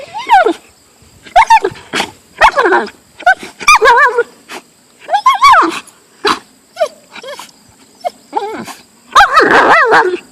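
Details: Siberian husky protesting a golf club it hates: steady string of wavering, up-and-down yowls and barks roughly every half second to second, ending with a longer rough, growly outburst.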